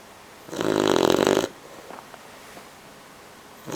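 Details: A sleeping 12-week-old male Bloodhound puppy, one of two littermate brothers napping together, snores with one loud, rough, buzzy breath lasting about a second.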